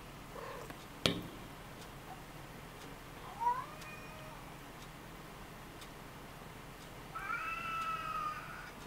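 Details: A mother Ragdoll cat born 20 February 2015, nursing in a cat hammock, gives two thin, high meows, the second longer and held level.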